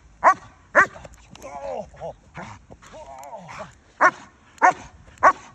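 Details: Maserati, the estate guardian dog, gives loud, sharp barks in two bursts, separated by a stretch of human voices and softer sounds.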